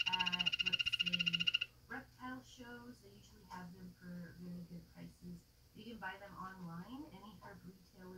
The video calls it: Dart Frog Calling